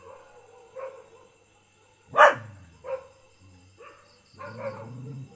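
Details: Village dog barking: a few scattered short barks, one sharp loud bark near the middle, then softer yips and a rougher bark at the end over a faint steady hum.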